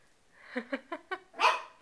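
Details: Bailey, a Shih Tzu, reacting indoors to being shown a picture of another Shih Tzu: four quick, evenly spaced yips build into one louder, sharper bark.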